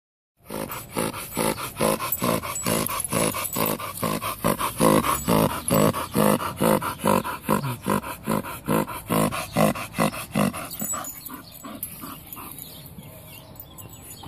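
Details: Bull Terrier producing loud, rapid pig-like snorting grunts, about two per second in a steady rhythm for ten seconds, then fading into quieter breathing.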